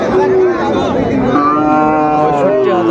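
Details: Sahiwal bull calves at Ambari livestock market on 17 January 2025: a short low moo, then a longer drawn-out one that dips and rises slightly, over busy crowd chatter and haggling voices.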